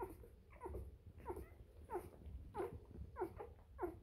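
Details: Three-day-old Bernese Mountain Dog puppies calling indoors: short squeaky whimpering cries repeated roughly every half second to second, each a brief rising-falling yelp with a faint low rumble beneath.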